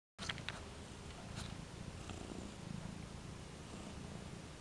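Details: Domestic cat by its new scratching post, purring steadily as a continuous low rumble, with a few faint clicks early on.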